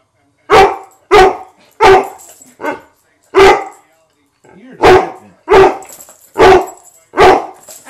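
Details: Domestic dog barking indoors in short, loud, sharp barks, about eight across the stretch at irregular spacing; a person speaks faintly between some barks.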